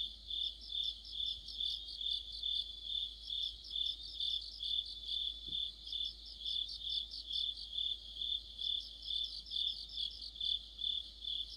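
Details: Crickets with other insects calling in autumn, a continuous piercing tone layered with regular bursts of fast chirping pulses, the rhythm steady and even across the whole stretch, faint low background hum.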